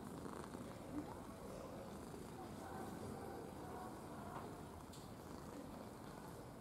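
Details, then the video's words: Affectionate red house cat purring steadily, an even low-pitched rasping rumble sustained for nearly seven seconds with little variation, close to the microphone in a quiet room. "Рыжий котик мурчун / Red cat purring"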